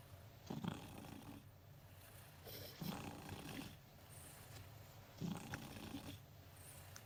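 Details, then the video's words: A domestic cat asleep beside its owner at work, snoring softly: low raspy breaths rising and falling in slow bursts about every two to three seconds, each with a brief airy rustle, against quiet steady background hiss. "Snoring Cat"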